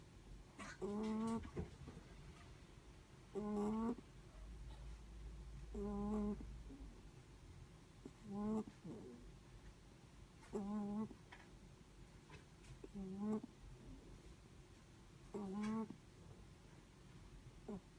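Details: A Netherland Dwarf rabbit sleeping, giving steady rhythmic snores: eight short, tonal, slightly wavering breath sounds, one roughly every two and a half seconds, in a hushed room.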